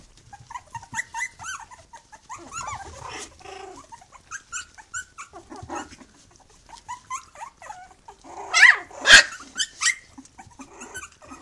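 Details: A three-week-old litter, Khyi-Mi B, beside mother Bhoomi: many rapid overlapping squeaks and whimpers, a busy chorus of small voices, building to a few loud sharp yelps near the end.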